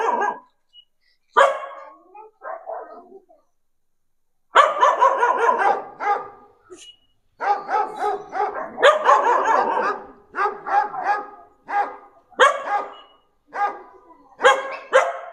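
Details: A domestic dog responds to a played dog sound with bursts of loud, raspy barking, a few isolated barks at first, then steady volleys roughly every second, separated by brief silences.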